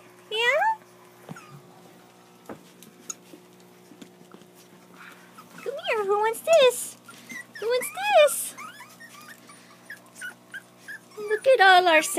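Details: Puppies crying because they want to play, giving high, rising and falling whimpers and squeals in scattered bursts, several overlapping near the end, with quiet stretches between and faint background hum.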